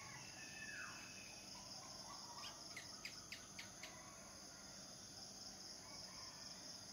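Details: Cicadas, whose males sing to attract mates, heard as a steady, thin, high-pitched drone that never breaks, with a short run of faint ticking pulses near the middle and a soft falling note early on.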